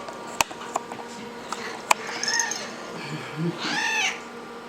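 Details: Young serval, 17 weeks old, kept as a pet, giving a short arched, harmonic cry near the end, after scattered sharp clicks and faint background hum.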